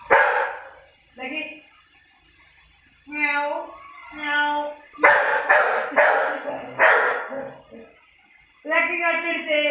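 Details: Exchange between Lucky the Labrador and a person mocking him: a bark, then drawn-out harmonic vocal imitations, a burst of four fast barks from the dog, and another long mimicking voice at the end.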